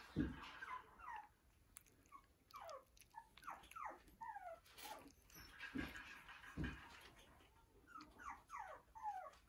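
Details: Toy Poodle puppy indoors in a small quiet room, giving soft, high whimpers that slide downward, repeated in uneven bursts, with occasional thumps and rustling.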